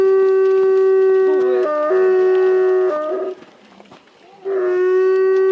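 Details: Three sibling timber wolves (two sisters, one brother) at a zoo in Hokkaido, Japan, howling in snowy winter before 2 pm on 17 February 2023, earlier than usual; long, steady, overlapping tones stepping up and down in pitch.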